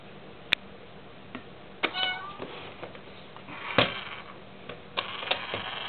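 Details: Pet cat seemingly disturbed by a toy kitty coin bank: a short, sharp meow among scattered clicks and knocks from the toy and handling.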